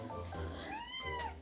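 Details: Hungry house cat complaining as its owners come home late for its dinner; one drawn-out meow rising then falling, over light background music.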